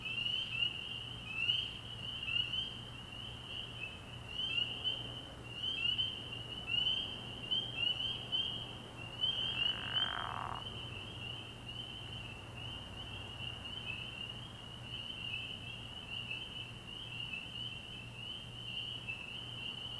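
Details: Spring peepers in full chorus at a frog pond at night early in the year: high, clear upslurred peeps packed into a constant ringing drone, with a short rushing noise near the middle and a faint low hum.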